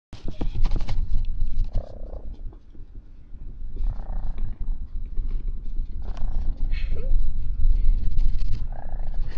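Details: Lucky, a pet dog, growls steadily. The deep, rough rumble runs unbroken for the whole stretch, rising and falling in loudness, with faint higher tonal bits drifting over it now and then.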